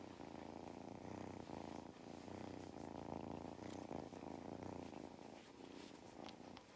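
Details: Mustard, a cat on a farm in County Kilkenny, Ireland, purrs while enjoying belly rubs and attention; a steady low rumbling purr runs throughout, with soft faint clicks and rustles on top.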